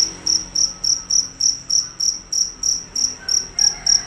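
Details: A fierce cricket calls loudly and continuously, about thirteen piercing, evenly spaced chirps in four seconds, each a short shrill pulse; faint low murmur behind.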